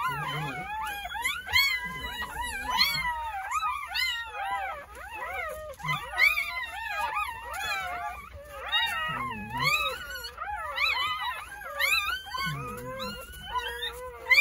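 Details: At a rural home in Korea on New Year's Day, newborn Jindo puppies from a litter of nine, born between 8:30 am and 1 pm, cry in shrill, wavering squeals that overlap almost without pause.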